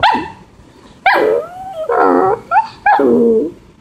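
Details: Maltipoo dog pleading to be let out for a walk while it is raining and he cannot go out; a run of loud harmonic whines and yelping barks, some rising and falling, others drawn out, with short pauses between.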